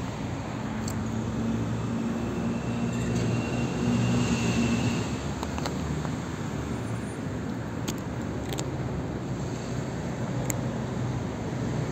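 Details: A steady rumble of road traffic and a passing engine, with a few faint clicks and jingles and no animal voice.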